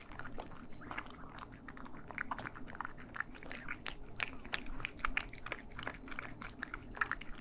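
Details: Cats feeding, recorded in stereo for ASMR: quick wet chewing and clicky bites in an irregular stream, with soft lower-pitched mouth noises and a quiet room hum beneath.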